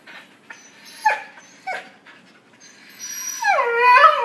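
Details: Puppies interacting, giving two short sharp yips and then a long whine that rises and slides down, with strong layered overtones, in a quiet room.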